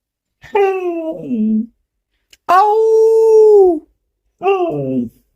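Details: Pet domestic dog howling and crying to demand buttermilk, a daily request: three long, tonal, harmonic howls, the first and last sliding downward, the middle one held steady for over a second, with silent gaps between.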